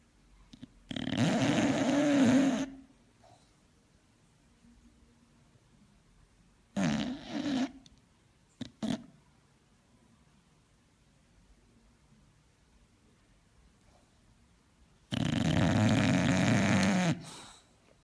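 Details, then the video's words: A female English Bulldog snores in loud, rasping, rattling bursts separated by long quiet pauses. "English bulldog snoring"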